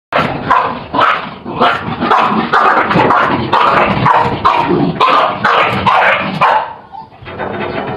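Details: Dog barking during a fight with a rooster: dense, rapid, harsh bursts repeated almost continuously for about seven seconds, then tapering into quieter sounds at the end.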